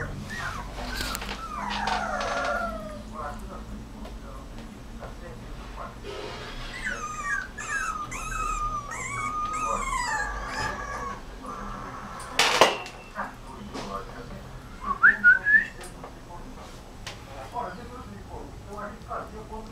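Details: Rottweiler puppy letting out long, sliding whines and howl-like cries that arc up and down, then a few short yips near the end, over steady low hum and occasional human speech.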